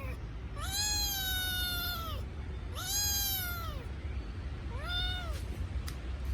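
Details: Kitten crying for its mother: two long, loud, flat meows about a second and a half each, then a shorter softer arched one, with a steady low hum underneath.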